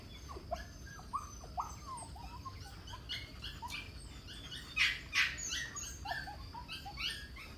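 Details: A young male German Shepherd gives rapid, high, falling yelps and whines, several each second.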